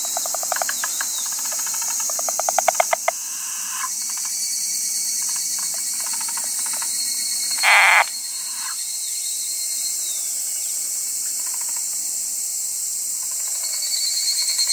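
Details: Rapid pulsed rattles from a wrinkled frog open the recording, then fade to scattered softer pulses, with a constant high-pitched insect chorus throughout and a short burst of noise midway.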